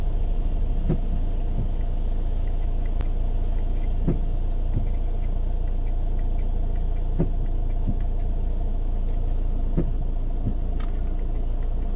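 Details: A deep continuous vehicle-like rumble with occasional soft knocks runs throughout, and no animal call is heard.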